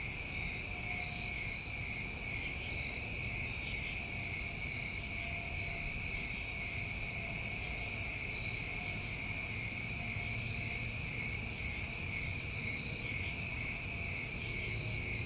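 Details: A New England summertime cricket chorus: overlapping steady high trills run throughout while short, very high buzzy bursts pop up irregularly every one to three seconds.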